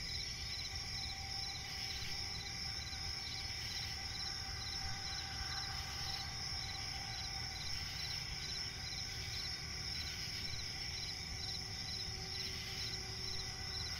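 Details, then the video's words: Night forest swamp ambience dominated by crickets, a dense unbroken high-pitched trill layered with quieter rhythmic chirps, plus a steady low hum throughout. "cricket chirping relaxing sound in night forest"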